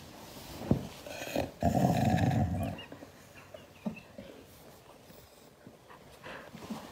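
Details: Siberian Husky growling angrily when hugged: one deep, rough, sustained growl lasting about a second, framed by softer rustling, faint scuffs and brief thumps.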